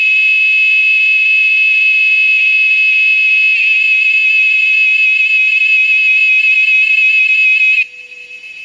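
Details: Cicada at Amazone Nature Lodge in the Amazon: a loud, shrill, steady tone with a slight warble and stacked overtones. It holds without a break for about eight seconds, then cuts off abruptly, leaving quiet background.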